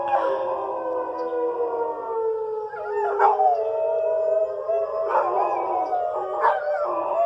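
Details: Pet dogs howling along with the weekly tornado siren test, wavering drawn-out howls with rising and falling pitch over a steady siren tone, several voices overlapping.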